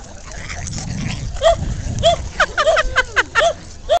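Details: A shaved pet dog talks back to its owner with a string of short, whiny, arched yelps, about eight in two and a half seconds, each rising then falling. Low indoor murmur and a person's voice precede them.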